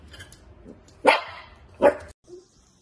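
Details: A pair of quick, sharp barks from a cute, naughty Dachshund, under a second apart, over faint low background rumble.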